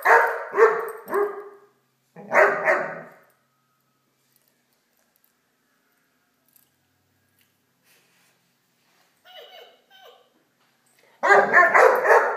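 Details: Great Dane puppy at play with a toy dog gives quick runs of three or four gruff barks, then long silence with faint soft noises, ending in a fresh burst of rapid barking.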